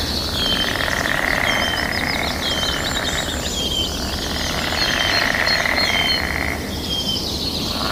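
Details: A mating-season frog chorus of many answering callers. Two long buzzy pulsing bursts swell and fade, and sharp whistled bird notes repeat over them against a continuous outdoor hiss.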